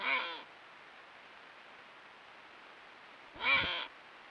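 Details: A group of Iberian ibex on a limestone cliff ridge on a rainy night give two short, nasal, bleat-like calls a few seconds apart over steady rain.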